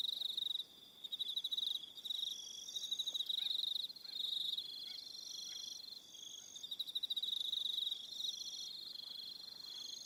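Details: Crickets calling in the evening on Aroha Island, New Zealand: many overlapping shrill pulsing trills at different pitches, some stopping and restarting every second or two, with short quieter gaps.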